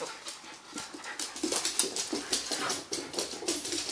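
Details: Two Shiba Inus, one of them male, play chase together, giving soft whines and grumbling vocal bursts in quick, irregular succession.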